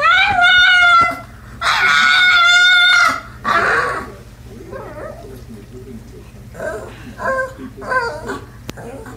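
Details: Pug dog singing indoors: two long wavering, harmonic howls, each over a second, then a pause and a run of quieter, shorter whimpering notes.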